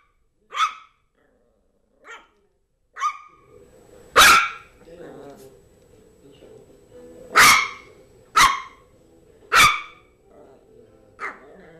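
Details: Yorkshire terrier Zizel, a female, plays with her new mouse toy, letting out sharp, bright barks at irregular gaps. A few softer yaps early on lead to a run of louder barks, with a faint steady hum behind.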